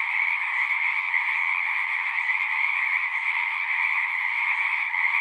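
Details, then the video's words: Chorusing frogs at a horse-pasture pond, recorded with a Zoom 6, produce a continuous, ringing high trill from many voices at once, steady in pitch and volume. "Frogs singing"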